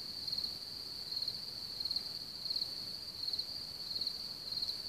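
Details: Crickets singing around Hamr near Chlum u Třeboně, Czech Republic: a steady high shrill drone with a nearer cricket's short bright chirps pulsing about every 0.7 seconds over it.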